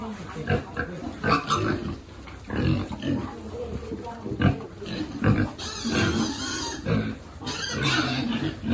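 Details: Feeding piglets in a farm group, some rescued after being abandoned or disabled; a run of low rhythmic grunts gives way to harsher, higher squealing bursts in the second half as the animals jostle.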